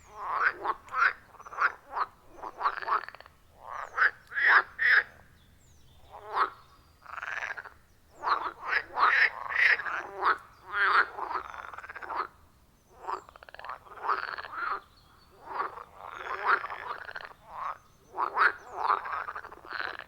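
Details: Loud rhythmic frog chorus at a wild forest pond, iPhone 14 Pro and Shure MV88+ recording: dense harsh croaks in quick clusters, brief pauses between bursts, several animals overlapping, no other sounds.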